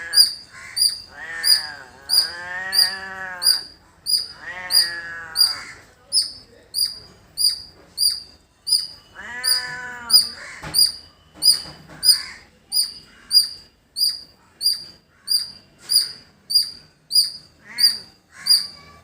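A squirrel gives sharp, high chips, repeated steadily about every second, with bleating livestock in the background.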